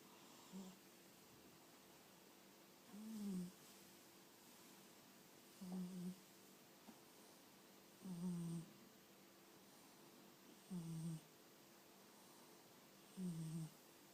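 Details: A fat cat snoring indoors: six low, rumbling snore breaths, each about half a second long, recurring roughly every two and a half seconds against quiet room background.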